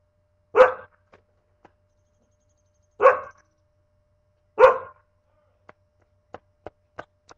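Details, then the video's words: A pet dog indoors gives three sharp single barks about two seconds apart, followed by faint clicks and taps. "my dog barking in the middle of my video"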